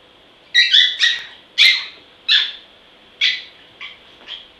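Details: Small dog named Zen, called vicious, letting out sharp, high-pitched yaps in quick bursts: a rapid double yap, then single yaps about every half second to second, seven in all, over a quiet background.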